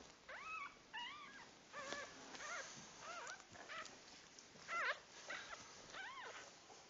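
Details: Newborn puppies at birth squeal and whimper steadily, high arched squeaks about every half second to a second, some sliding up then down, with a soft hiss and faint rustling behind.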